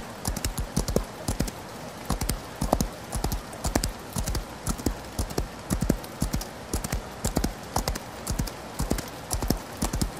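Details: Horse galloping in the rain: deep, thudding hoofbeats fall in quick clustered groups of three or four, repeating steadily across the stretch over a constant hiss of rainfall.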